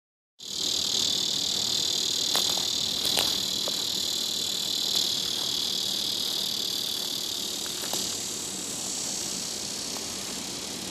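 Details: Tibicen dorsatus cicada calling from a plant beside other Tibicen auriferus in a grassy patch on a moderately elevated hill near a parking lot, southwest Topeka, Kansas: a steady, high, hissing buzz held throughout, with faint clicks and soft background noise.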